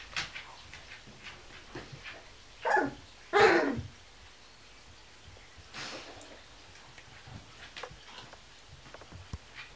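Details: Kuvasz puppies sixteen days old, indoors: two loud broadband yelping whines around two and three and a half seconds, a softer cry near six seconds, with faint ticking and shuffling noises between.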